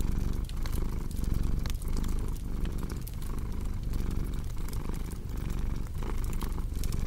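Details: Steady purring from a cat, a deep buzzing drone broken into breath-length swells, beside the lively crackle and occasional pop of a fireplace.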